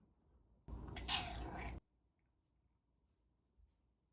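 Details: Caged pet cat asking to be let out or fed: a single short, harsh meow about a second long, muffled and noisy, followed by quiet room tone.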